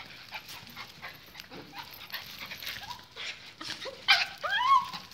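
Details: Excited pet pinschers waiting for leashes before a walk; soft scuffling gives way to short rising yips and whines clustered near the end, amid a man's calming words and household shuffling.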